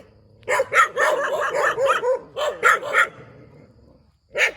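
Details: Dog barking beside a rubber plantation: a rapid burst of about ten sharp barks over three seconds, then a pause and one more bark, with a quiet background.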